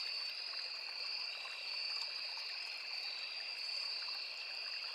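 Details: Crickets sing without a break in a riverside forest, their high twin-toned buzz steady from start to end, with scattered soft ticks and the murmur of a small stream.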